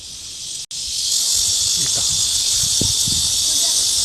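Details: Cicadas singing in midsummer: a steady, hissing, high-pitched buzz that drops out for a moment near the start and then resumes at full strength, with faint low voices underneath.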